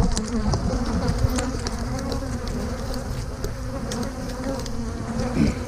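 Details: Dense, even buzzing of a honey bee colony at an open hive while brood frames are moved for a split; a constant low hum with occasional light taps and clicks.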